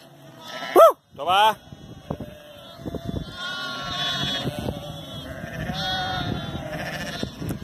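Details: During real herding work with border collies Zara, Memphis and Bluky, two loud shouted commands open, then a crowd of sheep keeps up steady, tremulous bleating over scuffling and background noise.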